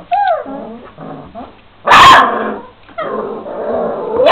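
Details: Šarplaninac puppies aged 26 days: wavering high whines and squeaky yelps, broken by one loud harsh bark at two seconds, then a drawn-out whine that rises into another burst.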